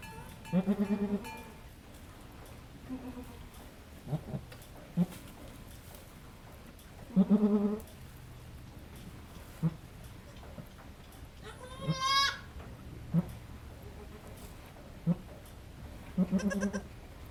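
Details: Goat in labor on a goat farm, delivering the second of triplets. Low, harmonic-rich bleats come in short bursts spaced several seconds apart, with a higher, wavering cry near the middle, plus scattered clicks and handling noises.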